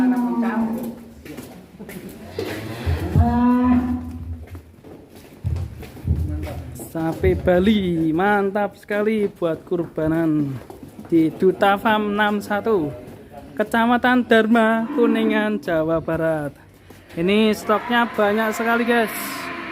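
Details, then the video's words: Bull with a thick 'concrete' neck, young and not yet showing adult teeth, raging in its pen at Duta Farm 61, Kuningan, West Java, Indonesia, gives a string of loud harmonic moos, some rising and falling, with voices and pen clatter between them. "SAPI LEHER BETON NGAMUK DI KANDANG"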